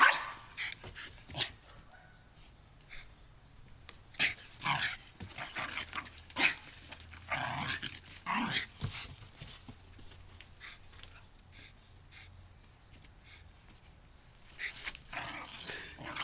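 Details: American Bulldog at play with a second dog, giving scattered short barks and gruff huffs between quieter stretches of scuffling, with a louder flurry of barking toward the end.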